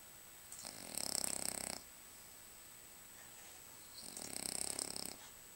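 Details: Sleeping French Bulldog Lucas gives two rattling, fluttering snores about three seconds apart, each over a second long with rapid pulsing texture, near silence between, a thin steady high tone behind.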